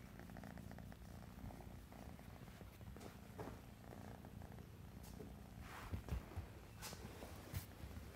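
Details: Sable classic tabby tuxedo male RagaMuffin cat purring indoors: a steady, low, rumbling purr runs unbroken through the whole stretch, with a few soft rustles and handling taps near the end.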